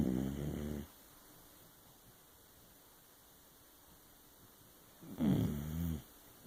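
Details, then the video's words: Sleeping pet dog snoring noisily indoors, two low rattling snores under a second long separated by about four seconds of quiet breathing. "Dog snoring... A lot!"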